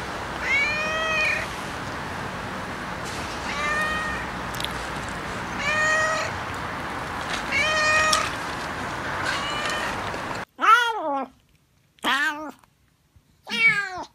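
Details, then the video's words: Domestic cat or kitten from a meowing compilation, with five rising then falling harmonic meows about every two seconds over a steady background hiss, then an edit to three louder, sharply falling meows in near silence. "Funny Cats and Kittens Meowing Compilation October 2020 😺💗 Noisy Cats and Kittens Meow"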